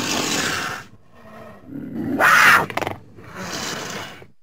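A cougar gives harsh, raspy calls, with one loud shrill cry that breaks into quick stuttering pulses.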